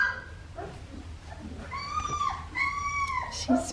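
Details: Three-and-a-half-week-old red tri female Australian Shepherd puppy, just starting to toddle: two drawn-out, high, clear whines falling slightly at the end, preceded by soft murmurs, with a woman talking.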